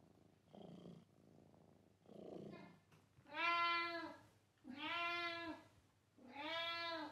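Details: Indoor domestic cat, described as meowing loudly and purring a bit: two soft, low, rumbling sounds, then three loud, drawn-out harmonic meows, each about a second long, rising then falling, in a quiet room.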